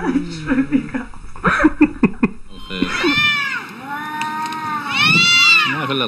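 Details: Arguing cats: a man speaks Arabic over the first half, then drawn-out, wavering meows with rich harmonics rise and fall in two long wails.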